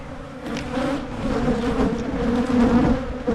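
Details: Honeybees at hives being split in Michigan to keep them from swarming; a dense, steady buzzing hum with a low droning tone that swells slightly, plus a few faint clicks from handling.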